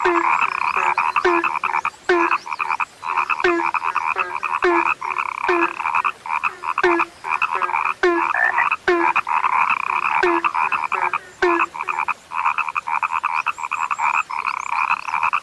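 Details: Frogs described as now rare, calling in a dense chorus: short clicking, rattling pulses stacked over a steady buzzing drone, with many overlapping callers repeating rapidly throughout.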